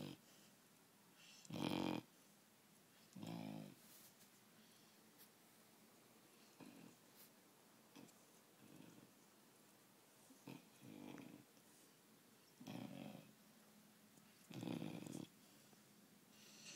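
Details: Four-month-old puppy asleep on a bed, snoring unevenly: loud rasping snores alternate with softer, shorter breaths, about eight in total over the stretch, with a quiet room behind.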